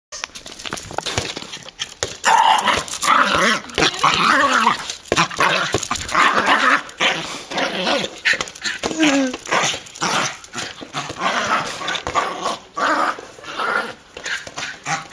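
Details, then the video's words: Pet dog going crazy while playing with a beach ball indoors; excited growling and rough barking come in rapid, uneven bursts, with short pauses, scuffling and thumps of the ball between outbursts. "My dog going crazy with a beach ball"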